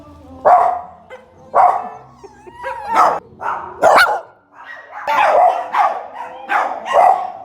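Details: Dog barking clearly and loudly, about eight full-bodied barks spaced unevenly across the recording, with a faint thin whine between some of them.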